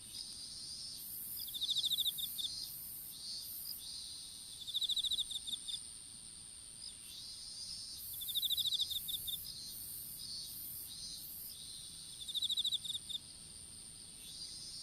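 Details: Open-field strawberry patch insects recorded by a dropped smartphone during seedling planting. Four separate volleys of quick, high, clicking chirps come every few seconds, layered over a persistent shrill hum and rhythmic high buzzing.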